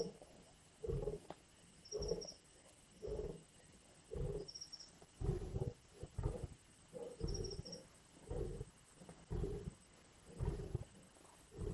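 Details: Lions snarling and biting at a carcass in Indian bush produce a long series of deep, throaty growls, about one per second, fairly regular, with occasional faint high bird chirps in the background.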